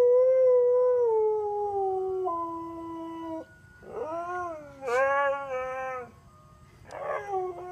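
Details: Pet Siberian Husky Sonny 'singing' to an ice cream truck's tune around the neighbourhood: a long howl stepping down in pitch, followed by shorter separate howls with quieter gaps between them.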